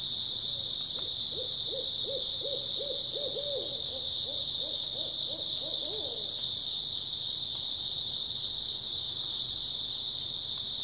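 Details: Grass insects sing a constant shrill chorus on an early autumn night, joined in the first half by a low, quick, bouncing series of about fifteen hoots that then falls silent.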